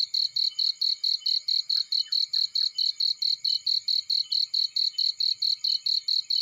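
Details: Cricket in a field by a fire. Loud, very regular high chirps come about twice per second without a break. A few faint lower chirps are heard early on, and the background is quiet.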